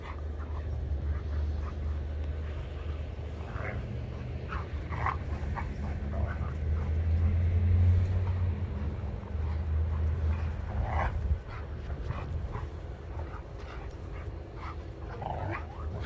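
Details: Two dogs at play, a Sheepadoodle of about 1.5 years and an Old English Sheepdog: a long, low rumbling growl runs under rapid, uneven panting breaths and short snorts.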